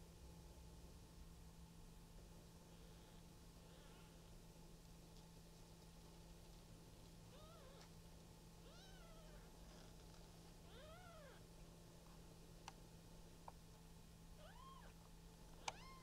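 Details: Newborn Maine Coon kittens, a litter of three, at a breeder's cattery in Tokyo, Japan; faint, thin, arched mews rising then falling, scattered and sparse, over a steady low hum.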